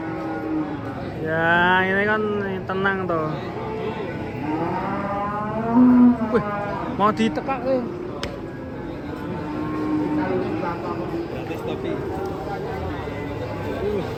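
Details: Agitated masked cow being unloaded from a truck, bellowing in several drawn-out moos that rise and fall in pitch, with a pause between bursts and some voices and vehicle noise behind.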